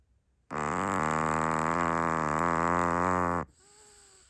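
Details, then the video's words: Naomi the Chihuahua snoring loudly while asleep: one long, deep, droning buzzy breath held steady for about three seconds, then a quiet faint whine as it fades. "Naomi the Chihuahua snoring louder than most humans."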